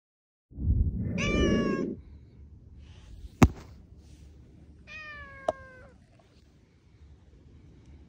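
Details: Cat walking beside a person in a Tokyo park and jumping onto them in December: two drawn-out meows, the first with rustling noise beneath, the second steadier, with sharp taps between.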